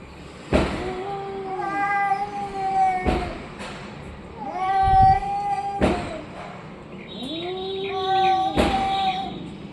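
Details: Orange and white domestic cat uttering a series of rising-then-falling meows, each lasting about a second, separated by sharp tapping knocks, over faint background noise.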